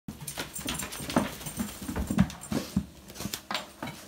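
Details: Border Collie and Springer Spaniel cross dog, male, excited and full of energy indoors after a shower following a long walk, giving short low whimpering yips in quick irregular bursts amid rubbing and scrambling noises.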